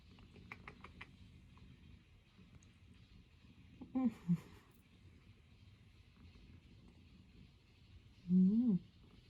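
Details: Norwegian Forest Cat kneading on its owner's lap at home. Two brief, soft, low murmurs come near the four-second mark, then a longer, voiced trill that holds steady and rises at the end, over a quiet background hum.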